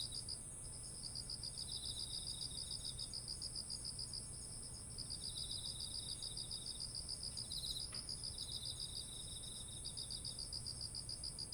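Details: Insects sing in autumn beside ripe rice fields, pulsed high chirps in long bursts with brief gaps, a second quieter caller interleaving, one short sharp click near the middle, and a constant shrill drone overhead.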